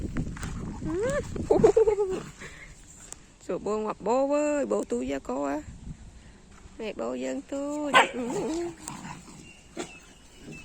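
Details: Dogs in the evening give drawn-out, arching whines rich in overtones, rising then falling, in bursts of one to three calls separated by short pauses, with quieter rustling between.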